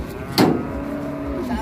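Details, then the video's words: An enraged cow gives a brief, level, low moo lasting about a second. It follows a sharp knock and is heard over engine noise and people talking nearby. "SAPI NGAMUK MARAH"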